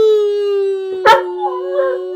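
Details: A male German Shepherd, described as quite the whiner, whines in the background in a steady, high, nasal tone, broken once by a brief sharp yelp.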